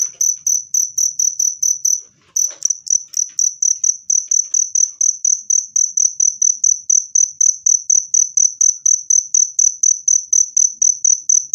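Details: Loud, clear cricket chirps said to repel rats and to soothe stressed birds; high-pitched pulses follow one another in an even stream, broken once by a short gap and a soft knock after two seconds.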